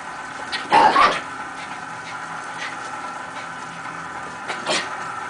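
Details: Miniature Pinscher, a pet dog, chasing a red dot indoors; one short sharp bark near the first second, a fainter yap near the end, with low room hum and a person praising the dog.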